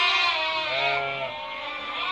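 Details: Merino sheep in a flock exported from Hungary, a Turkish buyer selecting animals: one sustained, trembling bleat with a rich stack of overtones, fading slightly over two seconds beneath other sheep.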